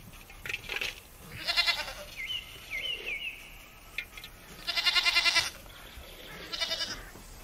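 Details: Village goats giving several short, harsh, quavering bleats of varying loudness, with whistled bird notes in between.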